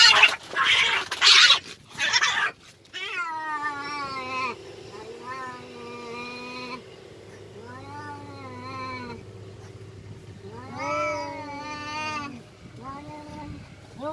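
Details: Fighting village cats: a loud noisy hiss and spit bursts at the start, then several drawn-out wavering yowls with rich harmonics, separated by short pauses.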